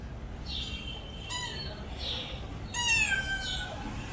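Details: Domestic cat giving two clear meows, a shorter falling call followed by a longer, louder one that bends downward, against faint room noise.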